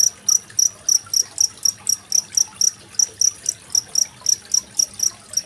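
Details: Cricket heard over murmuring water, a master sound for schooling competition songbirds such as magpie-robins, 25 February 2023; bright, high trilled bursts follow one another about every quarter second, some louder than others, with low water babble beneath.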